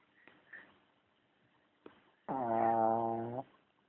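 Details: Charlie, a pet dog, gives one sustained snore lasting about a second, a low droning buzz with even tone, preceded by a few soft clicks and rustles.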